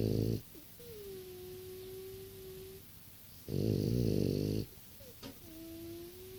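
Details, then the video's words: Six-year-old French Bulldog snoring in its sleep, giving a steady whistled exhale for about two seconds, then a heavy, rumbling snore of roughly a second, a small snuffle, and the whistle returning. "French bulldog snoring"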